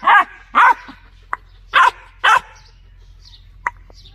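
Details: Dog giving several loud, separate barks spaced about half a second apart, then quiet with faint clicks and small squeaks.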